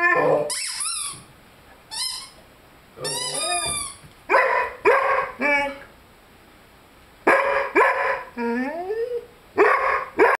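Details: Lyle, a young Rhodesian Ridgeback aged 5 months, howling along with his squeaky chicken toy: high squeaks mixed with throaty yowls and sliding moans, irregular bursts across ten seconds, one long rising wail near the end.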